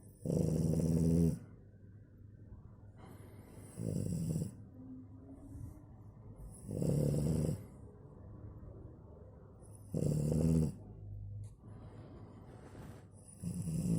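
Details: Sleeping French Bulldog snoring: loud, rasping, throaty snores about a second long, repeated roughly every three seconds, with quieter wheezy breaths between them.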